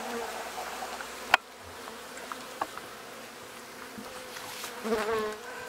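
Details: Newly installed Western honey bee colony at a homestead apiary in the Cascade Mountains, Pacific Northwest, upset after being moved into a new box and in panic mode; a steady low hum with a sharp tap near the start and a louder swell of buzzing near the end.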